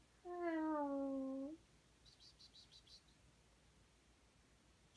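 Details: Domestic cat relaxing lazily indoors in Winnipeg gives one long, drawn-out meow lasting over a second, slightly falling in pitch, followed by faint high clicking sounds and quiet room background.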